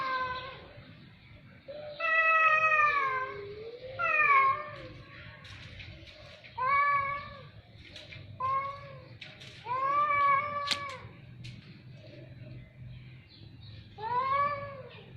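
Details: Cat meows repeated in a steady series, about eight harmonic cries each roughly a second long, some wavering and sliding down, over a low background hum.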